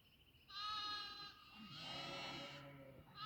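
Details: Goat on a goat farm giving two drawn-out, quavering bleats, each lasting close to a second, with a faint low murmur underneath.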